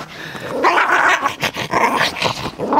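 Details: Small Yorkshire terrier, overexcited while playing with a ball indoors, gives a run of short throaty growls and grumbling vocal bursts, loud and uneven, with brief pauses between them.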